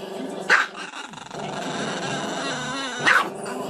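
A dog gives two sharp barks about two and a half seconds apart, with a low growl between them.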